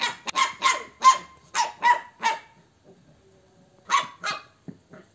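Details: Pure-line Bakarwal dog barking: a burst of sharp, loud barks, about eight in two and a half seconds, then a short pause and two more barks, with quiet rustling between.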